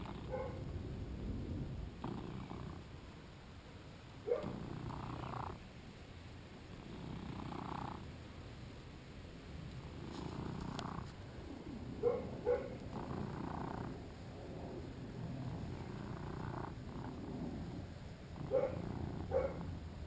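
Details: Shinobi, a two-year-old male British Shorthair, during play filmed with a GoPro; low rumbling purr rising and falling in pulses roughly every two and a half seconds, with a few faint sharp clicks on top.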